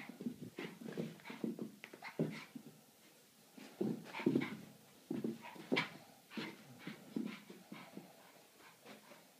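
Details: Boston Terrier wanting to play, producing a long run of rapid snorting grunts and breathy pants, several clusters of three or four short bursts separated by brief pauses, with occasional sharper whiny notes.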